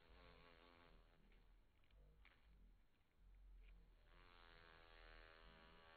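A bumblebee gives a low, steady droning buzz that fades, then swells again as it flies close.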